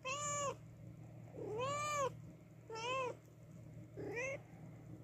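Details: Mother cat calling after losing her newborn kittens, giving four loud, arched meows about a second apart, each rising then falling, against a constant low indoor hum.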